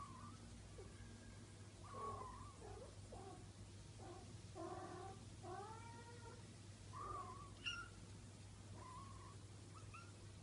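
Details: Four-week-old Bengal kittens in a litter, several mewing at once: thin, high, bent mews overlap in quick succession, some rising and falling, over a steady low electrical hum.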